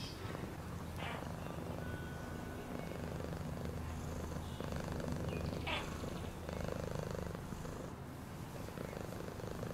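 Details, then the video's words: Cat purr played as a calming sound: continuous low pulsing rumble, fast and even, with a few soft clicks and rustling touches over the top. "Cat purring sound"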